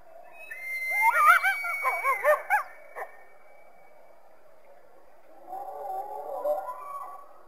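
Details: Coyote giving a short run of loud, bouncing yips with a held high note, then a pause before a fainter, more distant wavering chorus.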